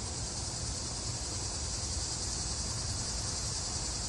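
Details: Annual cicadas in a summer yard, males singing to attract females, give a continuous, even, high-pitched buzzing drone with no breaks, over a steady low rumble.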